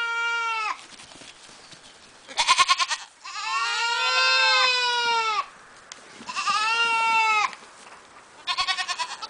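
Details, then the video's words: Cameroon goats give loud, long bleats that waver and slide downward, three drawn-out cries in all. Between them come quick stuttering bursts of pulsed bleating. "Kozy kamerunské"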